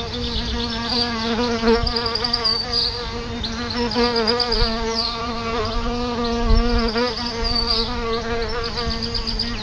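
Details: A nest of solitary bees right outside a home's front door; dense buzzing from several bees, the hum swelling and fading as individuals fly near, with occasional soft thumps and faint high chirps.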